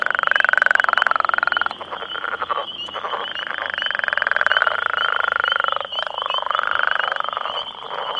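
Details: Male Northern Leopard Frogs, roughly ten of them, call for females at close range in their territory near a road: drawn-out, grating snore-like trills with a fast pulse, overlapping one another, over a constant thin high tone.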